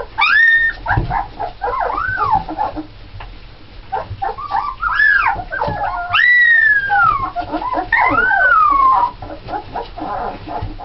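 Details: Red Alaskan Malamute puppies, part of a litter of nine (seven females, two males) born November 1st 2010, whimper and squeal in overlapping high arched cries, several voices rising and falling at once with short yelps between.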